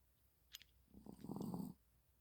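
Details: Sleeping Maltese dog snoring, dated 25.1.30: a short rasping, buzzy low snore swelling for about a second after a faint click, in a quiet indoor setting.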